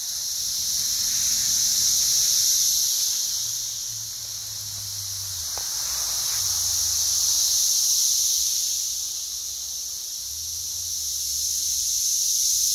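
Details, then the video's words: Loud Brood X periodical cicada chorus, West Virginia, June 2021, insects crawling everywhere; a continuous shrill buzzing wall of sound rising and falling in slow waves every few seconds, with a low hum underneath. "Brood X Cicadas - Loud and plentiful"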